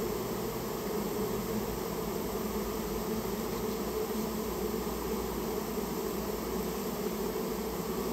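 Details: Steady droning of many Japanese honey bees during removal of a nest made inside a storehouse; constant layered hum with no pauses, slight flutter in the lower tones.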